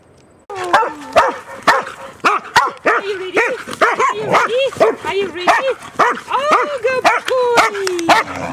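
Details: New Zealand Huntaways, three dogs on a Sunday walk near the beach by the Christchurch landfill, excited at the start. A rising whine is followed by rapid yelping barks with curving, whine-like tones, and a person is talking.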